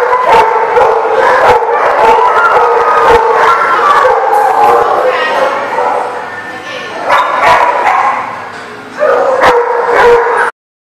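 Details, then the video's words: A crowd of dogs at a kennel lot, recorded on April 15, 2019, keeps up a constant chorus of overlapping barks and high yips, with a short lull followed by renewed loud barking before an abrupt cut. "The Barking Lot"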